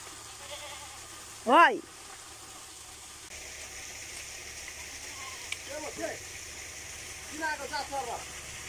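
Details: A breeding buck goat kept at a village home gives one short, loud bleat that rises and wavers, followed by quieter human voices and faint chatter.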